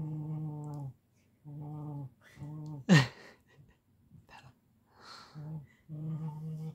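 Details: A Siberian Husky vocalises while being petted, giving long, low, droning moans of about a second each in a steady talking rhythm. This is a harmless habit, and he demands more petting if it stops.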